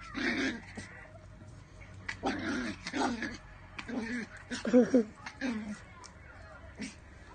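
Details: Miniature pinscher barking in short, irregular bursts, some rougher and growly, with quiet gaps between them and faint background noise.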